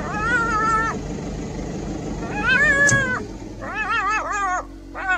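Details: Jackal couple confronting a caracal; loud wavering, harmonic wailing cries rising and falling, one long drawn call, then a burst of shorter quavering calls with brief pauses, over a faint engine hum.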